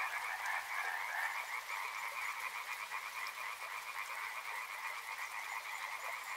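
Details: Massed frog chorus beside a river: continuous overlapping croaks forming a buzzing, pulsed drone, slightly looser rhythm, with faint broadband hiss beneath.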